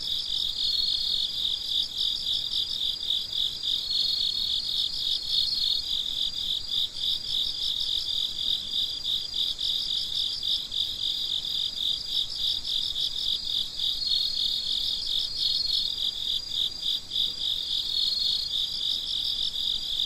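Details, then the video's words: Several crickets calling at night, their shrill pulsed chirps overlapping into a continuous ringing trill with slight rhythmic swells throughout. "Gece Cırcır Böceklerinin Sesi"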